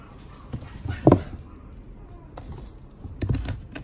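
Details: A Pembroke Welsh Corgi at a pet shop gives a single short, sharp bark in a quiet room.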